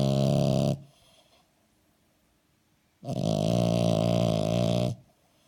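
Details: French Bulldog asleep and snoring loudly: a short rattling snore, a two-second quiet gap, then a long, heavy, buzzing snore of nearly two seconds.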